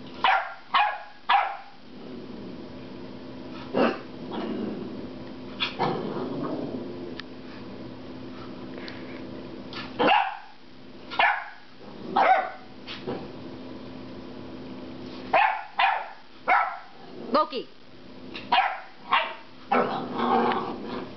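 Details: A 10-week-old puppy named Loki loudly protests a rubber squeaky pig toy. Repeated sharp barks fall in uneven bursts, with rougher, growly sounds in the pauses between volleys.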